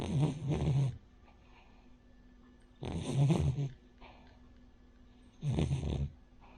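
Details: Rin the Cavalier King Charles Spaniel snoring in her sleep, pug- or bulldog-like as a flat-nosed breed: three deep, rumbling snores, each nearly a second long, spaced roughly every two and a half seconds, soft breathing between.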